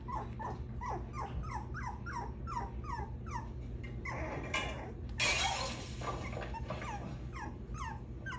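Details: Six-week-old puppy whining while escaping from a cage: a steady series of short, high, downward-sliding whimpers repeated about twice a second, with a brief rustling clatter midway and a quiet Korean-speaking voice afterward.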